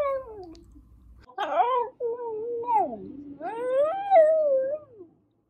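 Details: Shiba Inu dog indoors making talking-like vocal sounds: a series of drawn-out, wavering tonal howls and whines that rise and fall, with a brief harsh yelp near the start.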